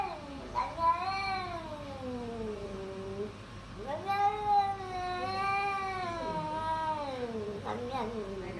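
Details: Domestic cat giving long, drawn-out wavering meows, rising then slowly falling, two extended cries in sequence with a shorter one at the end, indoors.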